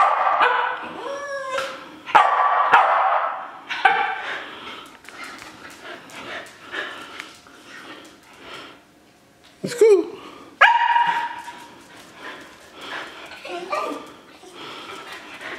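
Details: Shetland Sheepdog dancing about, eager to go outside; excited yips and whiny barks come in bursts, with quiet stretches and a sharp rising yelp near the tenth second, over background music.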